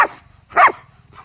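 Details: An angry dog gives one short, loud, rasping bark, preceded by the tail of an earlier bark and followed by a faint softer yelp; otherwise quiet.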